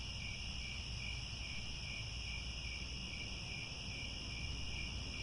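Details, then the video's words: Grassland crickets at Angkor Wat in Cambodia at sunset, a steady shrill layered trilling that never pauses, backed by a deep, even background rumble. "The Sound of Crickets at Sunset"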